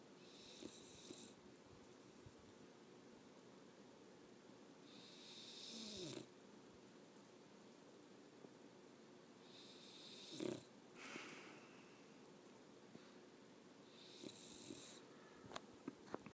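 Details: A 14-week-old puppy snoring loudly while asleep. Breathy, hissing snores come roughly every four to five seconds, each a short rasping breath, with quiet room tone in between.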